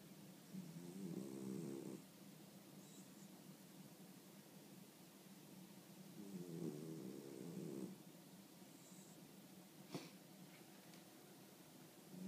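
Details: Boston Terrier in Arakawa, Tokyo, Japan, sleeping soundly indoors: two low rasping snores, each lasting about one to two seconds and about five seconds apart, over steady room hiss, with one brief click.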